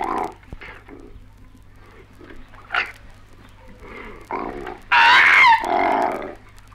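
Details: Australian koalas fighting: harsh grunting bursts and snorts, then a loud wavering squeal and raspy wail near the end, over a faint hum; 1968 recording.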